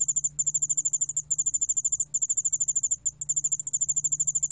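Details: High ringing pulses from a yeoul allak bangul beolle cricket, about ten beats per second in short trains broken by brief pauses, over faint low humming.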